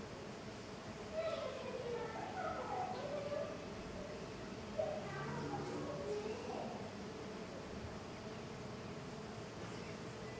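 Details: Heavy traffic of jatai stingless bees (Tetragonisca angustula) outside the hive, with a layered drone of wingbeats and repeated short pitch-bending buzzes, clustered in the first half, fading to a low hum later.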